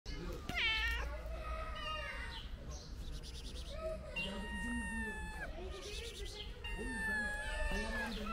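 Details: Friendly stray mother cat and her kittens: several high, rising-falling meows at different pitches overlap and repeat throughout, with a person speaking softly underneath and a low steady hum.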